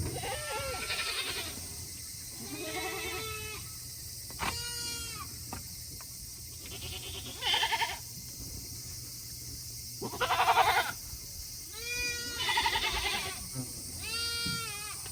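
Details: Tokara goats at a small farm in Himi, Japan, August 2021, calling on a hot day because they want to go back indoors; a series of loud, quavering, nasal bleats every couple of seconds, some rising and trembling.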